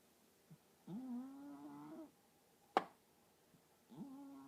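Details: Sleeping pet cat, a female described as often talking in her sleep: two drawn-out, tonal, moaning murmurs about a second long, separated by a sharp click, in a quiet room.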